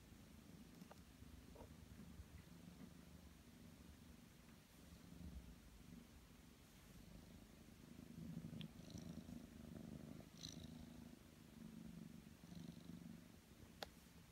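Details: Ragdoll kittens Ao and Aki, aged six and three months, purr contentedly indoors as they hold out their paws while their paw fur is trimmed with ordinary scissors during a nap. The purr is a steady, low, pulsing rumble, with a few faint clicks and snips.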